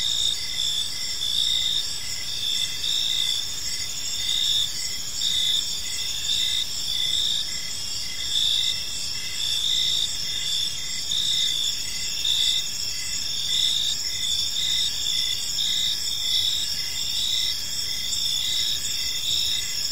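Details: Steady evening chorus of crickets in a park, bright high chirps pulsing rapidly and overlapping in several bands, an unbroken ringing wash over quiet low ambient noise.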